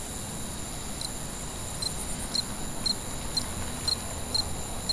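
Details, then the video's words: Cricket at night, giving short high chirps roughly every half second, a few spaced a little wider, over steady faint high tones and a low rumbling background hiss. "Night Ambient Sounds, Cricket, Sounds at Night"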